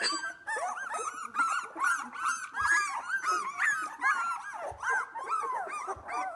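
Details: A litter of Australian Labradoodle puppies aged two weeks, eyes beginning to open, playing together: a dense chorus of rising-and-falling squeals and whines, several pups calling at once, with occasional soft thumps indoors.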